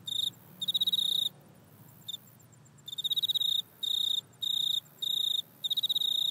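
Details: Back-yard insect call caught on an iPhone, credited to a grasshopper: bright, high, rasping pulse trains repeat in short bursts about every half second to second, steady and insistent, with only quiet background between them.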